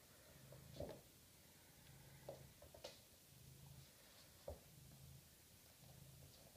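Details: Six-week-old Maine Coon kittens indoors, a low rumbling purr rising and falling in steady bursts under a second long, with scattered soft clicks and rustles.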